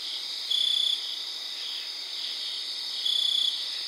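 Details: Cricket singing outdoors around 3am on September 4th, giving two short pulsed trills about two and a half seconds apart over a steady high chorus of distant crickets and katydids.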